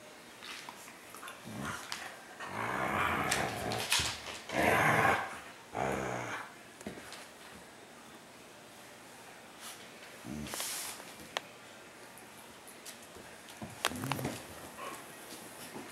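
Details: Siberian Husky puppy snuggling indoors with another dog, giving rough growling vocalisations in bursts around three to six seconds, then quieter shuffling with a few brief grumbles and sharp noises later, in a small room.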